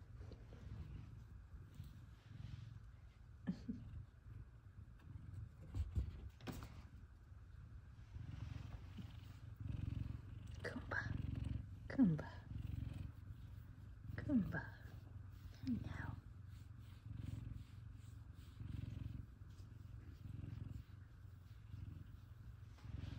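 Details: F2 Savannah cats Kumba and Zara purring as their owner returns home from work; a low continuous rumble dominates, with brief faint chirps midway and soft household noise.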